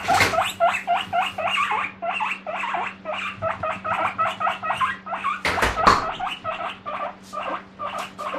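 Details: Guinea pig kept as a pet screaming for vegetables during a noisy morning commotion indoors: loud squealing wheeks rising in pitch, rapidly repeated about four per second in an unbroken chain, with a brief rustle or bump midway.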